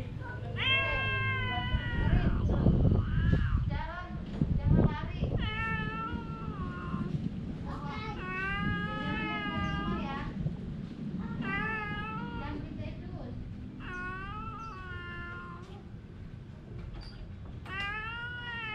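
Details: Domestic cat meowing while fighting with its mate: a run of long, drawn-out harmonic meows, some wavering and rising, repeated with short gaps, over low background rumble and handling noise at the start.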